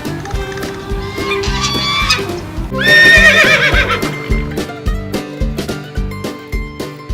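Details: Horse neighing: a loud, quavering whinny that starts high and slides downward with a shaky tremolo, lasting about a second and a half. It plays over steady, rhythmic background music with beats throughout.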